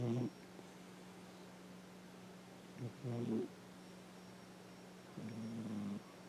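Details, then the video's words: Coco, a nearly ten-year-old cat adopted from a shelter, snores loudly while asleep and dreaming indoors: three low, voiced, rasping breaths with layered overtones at the start, middle and end, over a steady electrical hum. "Cat snoring loudly...must be a good dream!"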